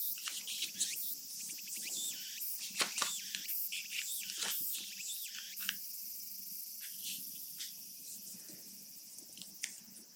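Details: Japanese summer cicadas, a recording from Japan used as background: dense, continuous high-pitched shrilling chorus with faint slow pulsing, mixed with paper creasing and rustling sounds that fade toward the end.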